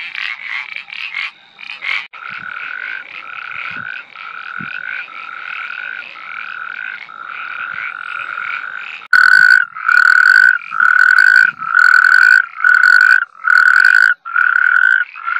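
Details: Iberian parsley frog giving steady, rasping croaks: a fainter, overlapping series first, then loud, sharp, harmonic notes repeated roughly every half second, each a short buzzy burst with brief silences between.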